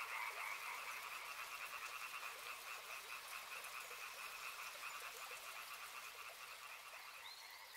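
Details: Steady rhythmic croaking from many frogs along a river, twin pulsing bands fading slightly over time beneath broad water hiss, a brief high whistle near the end.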